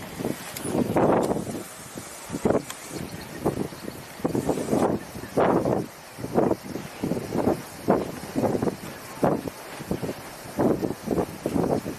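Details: Muffled speech-like bursts and rumbling vehicle and wind noise, with no animal calls.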